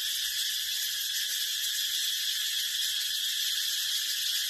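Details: Short stretch of a brown cicada's sustained, sizzling high buzz, constant and loud throughout with no rhythm or gaps.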